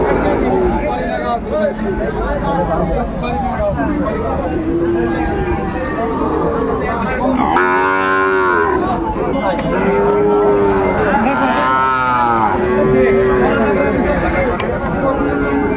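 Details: At Ambari market in Dinajpur on 21 March 2025, Sahiwal bull calves for sale: a loud, wavering moo near the middle, then three shorter lowing calls, over a busy background of buyers' voices.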